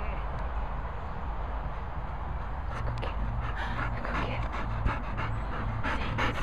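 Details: Golden Retriever named Nella performing tricks, panting in quick, rhythmic, breathy bursts that grow stronger and more regular in the second half, over a steady low background rumble.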